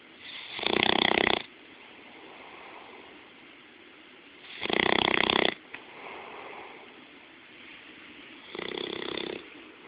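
A Bloodhound snores with loud, raspy, broadband breaths spaced about four seconds apart.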